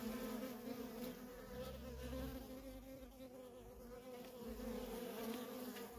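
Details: Feral colony of honey bees, worker bees flying in constant traffic; a thick, unbroken buzzing drone of many wings, even in loudness throughout, with faint higher hiss above the low hum.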